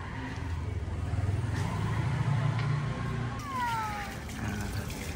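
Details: Domestic cat being bathed and shampooed inside its cage, the method suggested for aggressive, restless cats that will not stay still. A single harmonic meow falls in pitch near the end, over a steady low rumble and hissing water.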